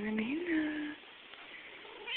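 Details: Mila, a tuxedo cat, moving from couch to recliner in a living room, gives one short rising then level meow lasting under a second, followed by quiet room noise and a faint second sound at the end.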